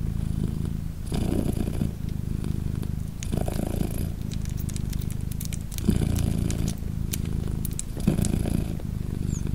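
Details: Steady deep purr from British Shorthair cat Polina nursing her three 3-day-old kittens, swelling at irregular intervals, mixed with light clicks and rustling from close handling.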